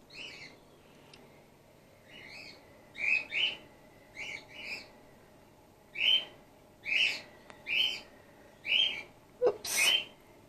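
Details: Gwickle, a female grey-headed flying-fox pup in care and bottle support-fed, repeats sharp squeaking chirps roughly once a second, some in quick pairs, growing louder, with a faint click near the end.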